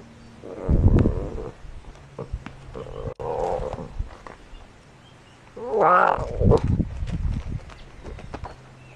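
A lion cub gives two hoarse, mewing growls, the second rising and wavering before trailing off.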